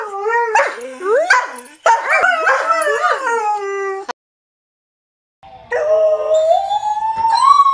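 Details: Greyhound giving short yelping howls that bend up and down, then a second of silence, followed by a long howl climbing steadily in pitch.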